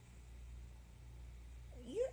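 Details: Male domestic cat, described as nosy and fond of watching everyone from the patio, meows while his owner talks to him indoors; a single short rising meow near the end over a low steady hum.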